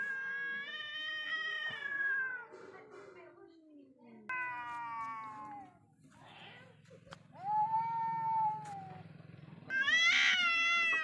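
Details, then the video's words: Two wild cats meeting face to face: wavering, descending yowls alternate with a low buzzing hum in the background, then a sharp rising wail ends in a loud, harsh scream. "When wild cats face each other"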